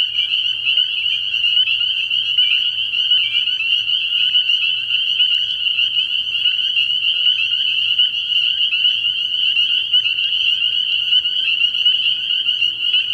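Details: Many spring peepers at a frog pond on an early-year night, piping without pause in a dense, high, shrill chorus. Individual peeps blur into one continuous ringing tone, with a soft low hum beneath.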